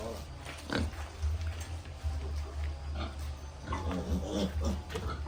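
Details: Baby piglets at a farm, with scattered soft grunts and a few short squeaky notes between quieter gaps, set against a steady low droning hum.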